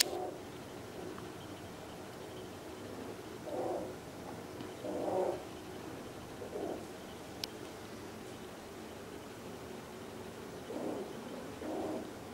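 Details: Domestic cats Schmusy and Panthy in heat, giving low, moaning caterwauls in separate drawn-out bursts of about half a second, around five spread over twelve seconds, with quiet room noise and a sharp click between them.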